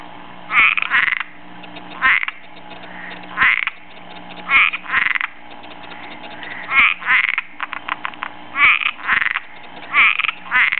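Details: Backyard Cuban tree frog looking for a mate: grating, rasping croaks spaced one to two seconds apart, each a short harsh burst, with a stretch of fast clicking pulses in between and a faint steady hum behind.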